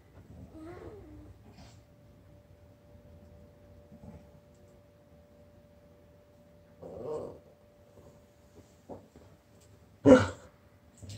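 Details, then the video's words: A Basset Hound gives a few short, husky barks, and a Chihuahua answers with a high chirp. "Basset Hound barks, Chihuahua chirps back"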